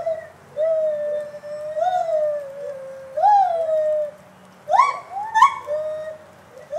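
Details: Gibbons at Santa Fe College Zoo, Gainesville, Florida, give pure, hooting notes that swoop up and down, then quick rising whoops.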